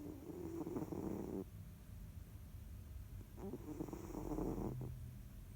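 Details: Jiji, a pet cat, snoring while dozing and kneading; two long, rough, droning snores of about a second and a half each, separated by a quiet pause, in a calm indoor room.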